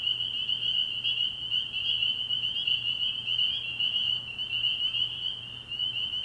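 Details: Spring peepers in full chorus at a frog pond at night in early spring, a steady shrill wall of high piping notes with slight wavering, and a soft low hum underneath.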